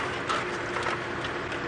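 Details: A tree squirrel alarm-calls on a morning bush walk on 8 February 2017 at Djuma Game Reserve, probably at a hawk eagle: a fast, dry, ratcheting run of clicks with faint thin squeaks over background hiss.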